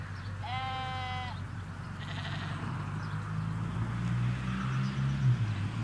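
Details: Sheep in a Hampshire countryside field with ewes and lambs, recorded in stereo from a hedge away from the road: one clear, wavering bleat lasting under a second near the start, then a steady low rumble of distant traffic.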